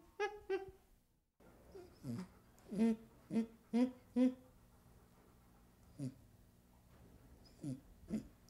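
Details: Young chimpanzee making short, soft, grunting hoo sounds in a quick series of about five, then a few scattered whimpers, quiet and close, with a faint low hum in the background.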